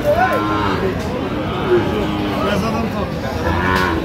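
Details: Friesian and crossbred bull calves at the Aftabganj cattle market in Dinajpur, Bangladesh, on 7 September 2025; a short rising-then-falling calf moo at the start, over steady crowd chatter and market bustle.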